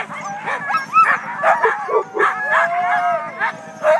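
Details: Siberian huskies of the day's first sled team waiting at the start in Klamath National Forest, California, in February; several dogs give arching, sliding howls and high yelps, one long level howl drawn out near the end.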